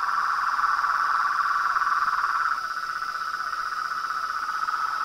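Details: Chorus of frogs and toads: a fast, buzzy pulsed trill held at one pitch, loud at first and then dropping to a softer level partway through, over a steady high whine.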